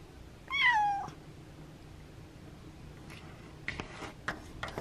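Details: A house cat named Abby begging for the window to be opened on a cooler, windy day gives one clear, falling meow, followed by a series of light clicks and taps.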